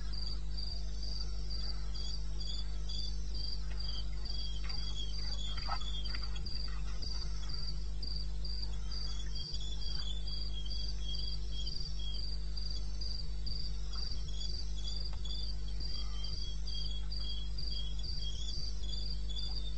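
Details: Crickets calling at 2:30 am on 21 May 2016 in the wilderness of eastern Botswana: steady high chirps pulsing about four times a second, a second lower caller joining, over a constant low hum.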